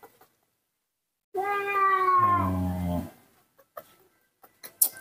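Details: Newborn baby monkey being fed milk by hand, in poor condition: a single drawn-out tonal cry lasting nearly two seconds, first steady then dropping lower, with soft handling sounds and brief speech around it.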